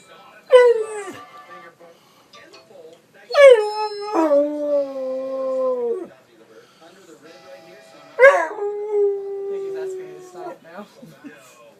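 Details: Sarge, a dog that howls at iPhone ringtones, gives three separate howls, each opening with a sharp yelping rise before settling into a long, steady, slightly falling wail; a ringtone is faintly audible around them.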